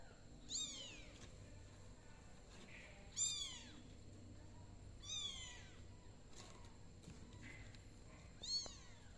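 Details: Kittens in a box meowing: four clear, high, downward-sweeping meows spaced two to three seconds apart, each bright and harmonic-rich, over a soft steady low hum indoors.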